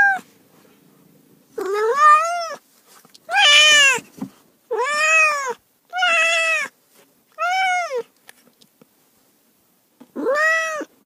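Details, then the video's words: Cat giving a run of six or seven clear, strongly harmonic meows, each rising then falling in a smooth arch, spaced roughly a second apart, in a quiet setting. "30 minutes of Cats' Meow"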